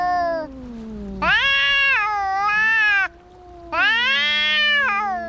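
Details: Domestic cats fighting: loud harmonic-rich yowls rise and hold in long bursts, overlapping with a second cat's lower, sliding wail that drops and rises between outbursts.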